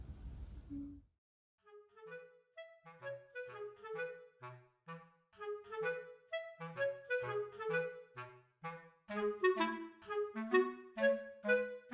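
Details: After a brief soft rush of noise, a clarinet-like woodwind melody plays in steady phrases over low accompanying notes.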